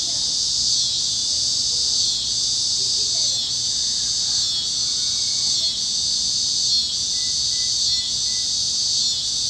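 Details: Sunset over the Kansas plains, where cicadas keep up an intense shrill chorus, throbbing roughly every second, while faint whistled notes of other critters drift beneath.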